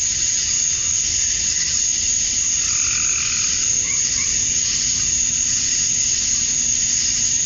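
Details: Summer dusk in Georgia, USA, where male cicadas chirp to draw females. A steady shrill insect drone fills the background while softer, lower rising calls from another animal appear briefly in the middle.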